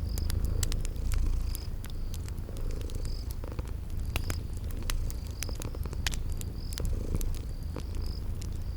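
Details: Cozy scene of purring kitties asleep by a crackling fireplace: a deep steady purr carries under scattered fire pops and a regular series of short, high chirps from the spring garden ambience.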